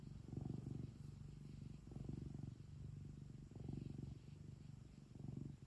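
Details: Purring of a cute domestic cat at home, low buzzy vibration alternating between louder and softer phases with each breath, four or so cycles heard.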